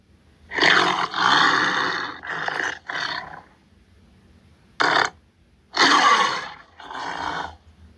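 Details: Tiger growling in a series of harsh, rasping bursts, some long and some clipped, separated by short silences, with the last two bursts coming close together.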